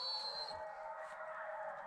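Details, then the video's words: A pack of coyotes howls in the distance in the Alabama woods after dark, a blended chorus of wavering, high-pitched voices heard during a deer hunt; "I don't know if y'all can hear that, but that's coyotes." "I don't know if y'all can hear that, but that's coyotes."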